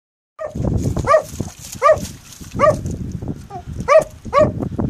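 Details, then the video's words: Dog barking at rocks during its favourite game, recorded April 2015; sharp, clipped barks repeated roughly every second, six in all, over steady low rumbling and outdoor noise. "barking at rocks"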